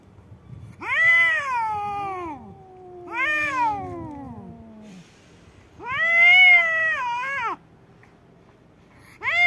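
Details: Fight between two domestic cats, a white cat and a black cat: loud, harmonic, arching yowls a second or two long, repeated with pauses, overlapping with lower falling moans from the second cat.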